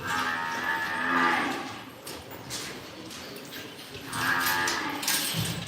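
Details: Imported Angus, Limousin and Hereford calves being bought; two clear, drawn-out harmonic moos, one in the opening second and another about four seconds in, with rustling noise between them.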